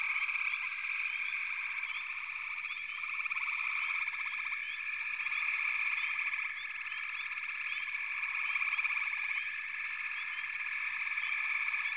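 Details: Many frogs in a backwater chorus, a steady wall of overlapping high trills with scattered brief upward chirps on top; the chorus swells slightly toward the end, with nothing else heard.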